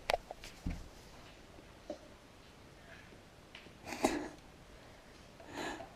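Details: Border Terrier named Cooper, a pet dog indoors with his head stuck in an empty milk bottle while playing, giving short muffled snorts and sniffs in scattered bursts, louder snuffling near the end; a person briefly asks if he is okay.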